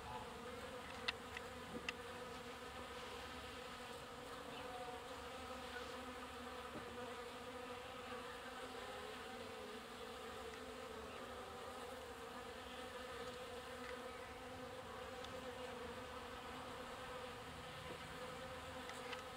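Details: Water-collecting bees crowded at a drinking trough, heard as a constant layered hum of many wings, with faint clicks and brief closer buzzes from single bees flying past.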